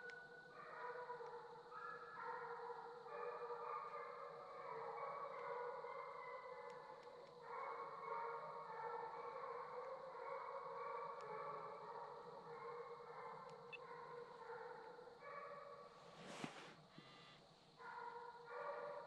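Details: Young Redbone Coonhounds, a male named Hades in his second season and a female named Copeland's Redhot Maple in her first, baying on a coon hunt; repeated drawn-out bawls overlapping in a steady chorus, with a brief clatter near the end.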